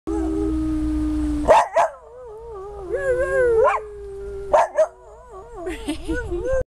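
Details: An Australian Cattle Dog (Blue Heeler) sings on command. It gives long, wavering, tonal howls that slide up and down, broken by short sharp bursts of sound that may be a person's voice.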